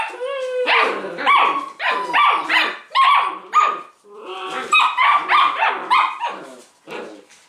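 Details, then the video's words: Leonberger pups six weeks old in a noisy tug-of-war game among a litter of 13, two or three pulling while others cheer; rapid high-pitched yaps and whiny barks tumble over each other in quick irregular bursts. "6 week old leos have big tug a war."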